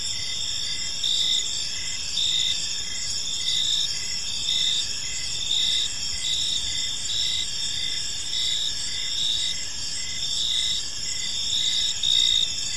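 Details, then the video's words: Evening in a quiet park with a chorus of crickets, their high ringing chirps stacked in several bands and pulsing in regular bursts about every second against a faint, constant low rumble. "Cricket Sounds in a Peaceful Park"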